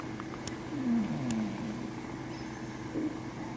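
A sleeping Scottish Fold cat snores softly, a low raspy breath sound over a faint steady hum.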